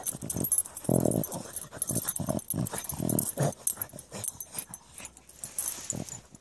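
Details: Dogs Maggie, Maggie and Griffin, three together, exploring a sand pit; short, loud harmonic vocal bursts near one and three seconds, with scuffling, sniffing-like noise and rustling between them.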